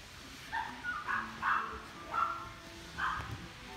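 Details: A Maltese puppy in a pet shop gives a few short, high, whiny yips spaced about half a second to a second apart.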